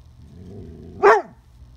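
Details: A female Dobermann puppy barks at a beetle on a fence, giving a single sharp bark that rises then quickly drops.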